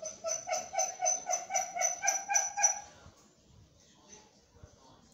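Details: Twenty-three-day-old Belgian Malinois puppies whine in a quick, regular series of clear, high-pitched cries for about three seconds, then fall quiet, leaving only faint room noise.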